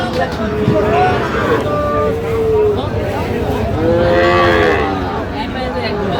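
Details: Sahiwal bull calves at the Aftabganj cattle market in Bangladesh, 16 August 2025, where Dhaka farmers are buying. Two drawn-out, tonal moos, one near the start and a longer one later, over steady crowd chatter and bargaining voices.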